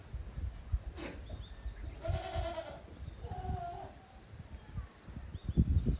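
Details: Playful young goats at Yoshigake goat farm, filmed 30 April 2023 in the exercise yard. Two brief nasal bleats follow one another a second apart amid dull hoof thuds and scraping.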